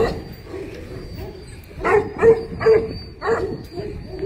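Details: Tibetan Mastiff giving four loud, deep barks spaced about half a second apart after a quieter opening, over a faint steady high-pitched tone.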